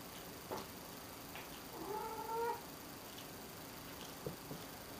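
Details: A domestic cat gives one drawn-out, level meow lasting under a second, with a faint tonal wavering; quiet room with a few soft clicks and taps around it.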